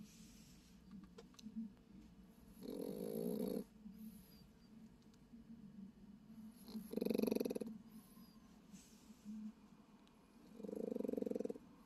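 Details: A Japanese Chin asleep in a car overnight gives three rasping, buzzy snores, roughly four seconds apart, with faint low breathing and quiet background hum between them.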